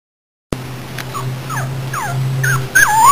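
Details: Puppy whimpering in short high whines, several falling and rising squeaky notes spaced about half a second apart, ending in a louder wavering cry; a steady low hum runs underneath.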